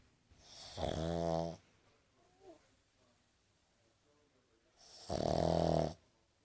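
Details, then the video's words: Boston Terrier snoring while sleeping with eyes open indoors: two long rattling, buzzy inhaled snores about four seconds apart, with faint breathing between them. "Boston terrier snoring with eyes open"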